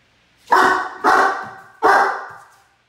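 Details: A 10-month-old Great Dane puppy gives three loud, hoarse barks in quick succession before an impatient cat swats him for barking.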